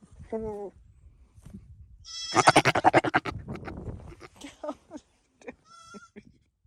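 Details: Male Nigerian Dwarf goat flirting with female goats after escaping his pasture: a brief nasal bleat, then a second of rapid pulsed blubbering, followed by scattered snorts and a faint high bleat.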